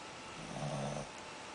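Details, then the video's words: A Shih Tzu puppy, full after overeating, gives one short, low, droning snore with a rough, harmonic buzz, rising and fading within about half a second in a quiet room. "shih tzu snoring"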